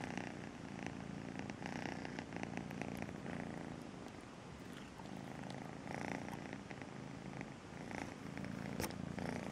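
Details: Melissa, a pet cat rescued as a two-month-old kitten, purring steadily indoors: a low, continuous rumble with a soft rhythmic pulse and breathy swells throughout, with light scratchy rustles.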